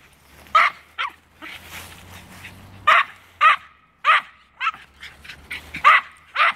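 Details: Norfolk Terriers, two of them, sound off at a squirrel up a tree with spaced, high-pitched barks and a few yelps, over a faint low hum in the background.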